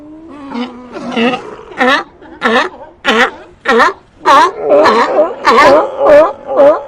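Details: Sea lions barking and vocalizing in a series of loud, harmonic honks, roughly one every half second, each rising and falling in pitch, some overlapping as several animals call together.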